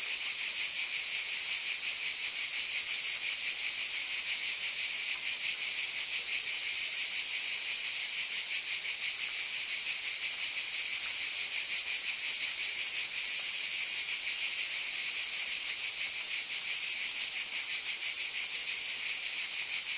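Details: Cicadas in chorus on a summer night: a dense, unbroken high-pitched shimmering hiss that holds steady throughout, with a faint fine pulsing texture and no other clear sounds.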